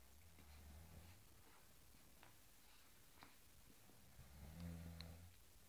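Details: Cairn Terrier playing with a cushion: a low, rough growl at the start and a louder, steadier one near the end, with light knocks and rustles in between.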